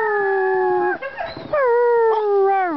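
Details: Pet Siberian Husky howling to serenade its owners: a long, steady, tonal howl that breaks briefly into rough wavering notes midway, then resumes as a smooth, slightly falling, sustained tone.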